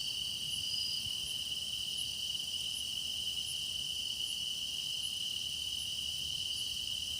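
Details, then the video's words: Deepening-season chorus of grass insects used for meditation, a continuous piercing high-pitched trill with a soft overlay of higher chirps repeating at about one per second, and a faint low background hum. "깊어가는 풀벌레 노랫소리"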